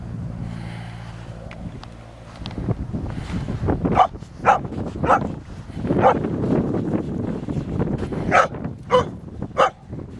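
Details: Young dog playing with a stick for the first time at sand and water; sharp barks repeat roughly every half second in the second half, over a loud, rumbling background of water and movement.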